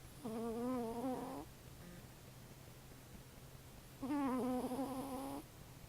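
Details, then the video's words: Rory Beanie, a female house cat with nasal issues, snores in her sleep: two drawn-out, wavering nasal tones of over a second each, separated by a quiet breath gap, with a faint low background hum. "Beanie The Snoring Cat"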